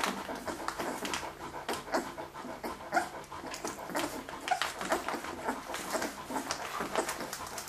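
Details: Leonberger puppies from a Hungarian kennel's F litter, 2011, panting rapidly at roughly one breath per second, airy and uneven, with a few thin whimpers in a small room.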